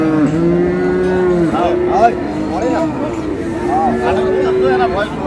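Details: Dairy cattle of an improved breed, cows and calves, at the Ambari livestock market in Dinajpur: long, steady, low lowing held for about a second and a half, then further drawn-out moos amid market chatter and bustle.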